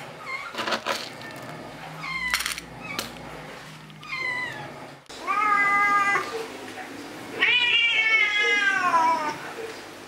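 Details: Jay, an orange domestic cat turning two years old on 19 March 2023, indoors: several drawn-out harmonic meows, the longest falling in pitch near the end, with short clicks and faint background noise between calls.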